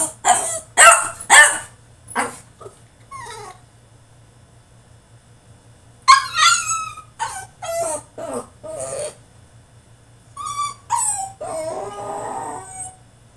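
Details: Caged French Bulldog throwing a tantrum: quick run of sharp yips and barks, a pause, then mixed whines, yelps and strained cries in uneven bursts, ending in a rough grumbling whine; low hum beneath.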